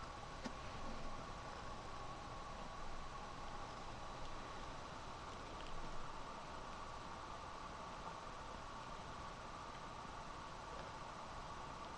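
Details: Quiet, even hiss and rumble like a fan or distant train, with a faint soft thump now and then and no animal sound.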